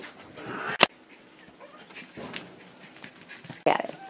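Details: Schipperke pups, five weeks old, playing together on a porch: a sharp click-like burst early on, then a higher, tonal yelp near the end, with faint rustling and shuffling between.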